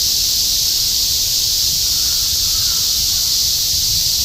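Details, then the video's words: Summer cicada chorus in Shinjuku, Tokyo, recorded 2016, a steady wall of shrill buzzing that never pauses, over a faint low urban hum. "Continuous chorus of cicadas in Shinjuku ～ 2016 新宿 蝉しぐれ"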